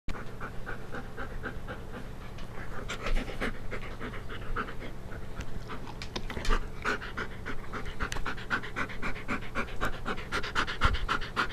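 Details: Siberian Husky panting during play, filmed 5/11/2011 around 1:36 PM; fast rhythmic breathy puffs repeat steadily throughout, growing denser in the second half.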